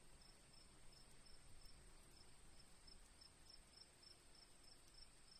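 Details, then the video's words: Chirping crickets with softly dripping rain water: short high chirps in quick, slightly uneven series above a continuous thin ringing trill, with a dull low rumble underneath. "crickets birds sounds"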